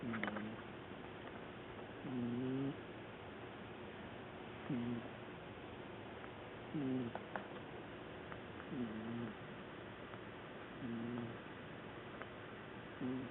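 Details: Qiudan the black pet cat, collapsed asleep on a sofa, snores loudly: low grating snores recur about every two seconds across the recording, with a few faint clicks in the background.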